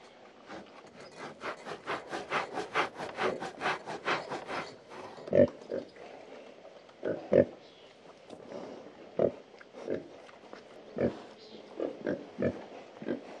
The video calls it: 06 Pigs (Scratch and Grunt) (Sound)